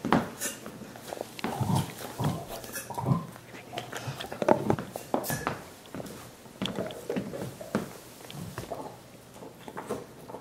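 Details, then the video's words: Five dogs gnawing soup bones as a dental hygiene treat, giving wet slurping and sucking noises with irregular sharp clicks of teeth on bone, indoors in a small room. "Annoying dog noises"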